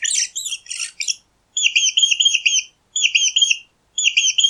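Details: Mouse giving a rough, chattering squeal at first, then clean repeated high squeaks in runs of three or four, each run separated by a brief silence.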